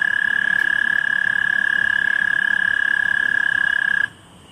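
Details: At night a common tree frog gives a loud, sustained, fast-pulsed trill on one even high pitch, running continuously for about four seconds before cutting off abruptly into quiet background hiss.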